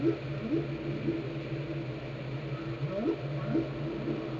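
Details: Whale song from Glacier Bay, Alaska, recorded by the National Park Service and NOAA: short low upswept moans and arching calls repeating about every half second, set against a steady low rumble.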